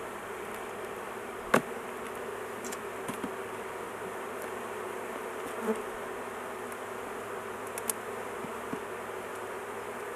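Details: Continuous droning buzz of a honey bee colony during work on a large hive, queen confined in a cage so she is not crushed; one loud knock early on and scattered light clicks.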